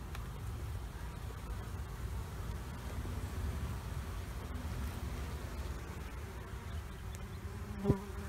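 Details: Honeybees from two colonies under a trailer, being removed, Panama City: a dense, steady low droning hum with a faint tonal band, broken by one sharp knock near the end.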